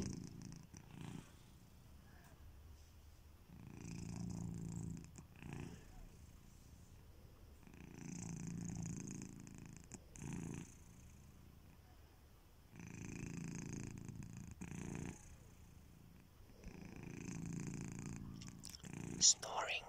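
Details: Kitiboy, a domestic cat, snores while sleeping indoors: soft, rumbling breaths rise and fall in slow, even waves, each swelling for about two seconds and returning roughly every four to five seconds, with quiet pauses between.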